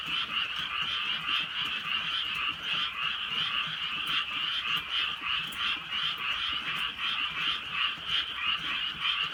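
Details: Many frogs keep up a steady croaking chorus at night in the drizzly countryside, the grating, rapidly repeated calls layered into a constant buzzing throb, light rain ticking faintly in the background.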